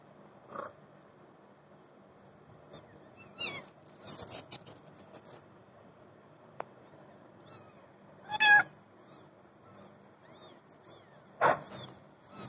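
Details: A cat named Babi gives several short meows spaced a few seconds apart, some harmonic and rising, against a quiet indoor background with soft clicks.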